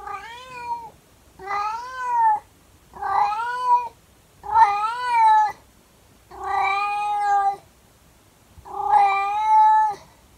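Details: A 24-year-old calico cat sings her daily howl to her owner at 6 in the morning, a series of drawn-out, wavering yowls, each about a second long with brief pauses between.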